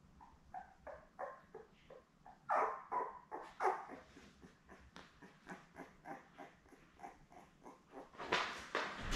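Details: Labrador Retriever puppies, seven newborns with mother Belle, filmed indoors on a live puppy cam in June; continuous high squeaking and whining in quick pulses, swelling louder midway, with rustling bedding noise at the close.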